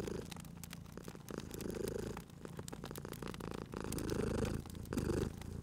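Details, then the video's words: Cat purring near a crackling fireplace in a cozy spring ambience, low vibrating purr growing louder toward the end in uneven swells, mixed with frequent snapping fire crackles. "Cute Purring Cat at a Crackling Fireplace"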